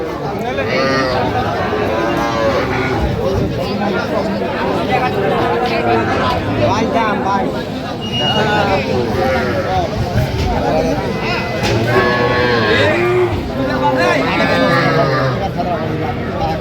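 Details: Cattle, small young bulls and heifers, at a crowded livestock market on 27 January '26; repeated harmonic lowing calls come through amid continuous loud human chatter, bargaining voices and crowd noise.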